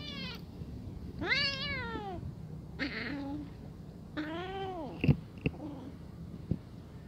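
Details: Brown kitten, afraid in front of adult cats who are eating, gives several drawn-out, rising then falling meows, three clear cries across seven seconds, with clicks and clatter of feeding nearby.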